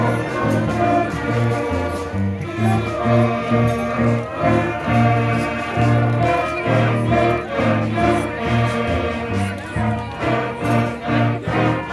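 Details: Choral and instrumental music with steady harmonies plays throughout, with no animal voice. Sung chords and a low bass line fill the passage from start to finish.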